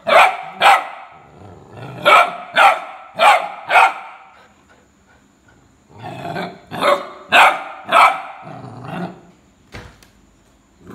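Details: Rhodesian Ridgeback giving repeated loud barks in two bouts, roughly two barks per second, separated by a short quiet gap of about two seconds, with lower growly undertones between some barks.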